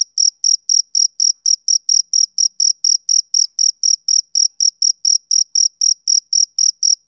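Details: Male cricket calling on a summer evening with a quick, steady train of shrill chirps, about four per second, clean and free of other sounds.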